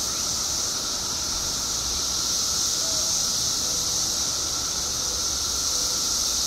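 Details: Mass emergence of periodical cicadas in Illinois, 17 years after going underground: an even wall of high buzzing noise with a lower sustained tone, unchanging throughout.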